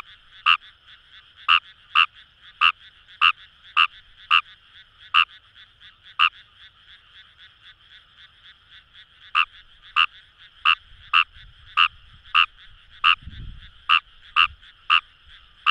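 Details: Wild Fejervarya kawamurai calling from rice paddies by the Kamo River in Itoshima, Fukuoka: bursts of crisp clicking croaks, a pause of about three seconds, then a faster run, with a soft low thump near the end over a constant frog chorus.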